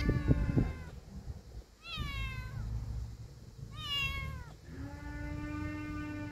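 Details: A bold kitten and a cat: two clear high, falling kitten meows about two seconds apart, then a long low steady cat moan, with earlier thumping and handling noises.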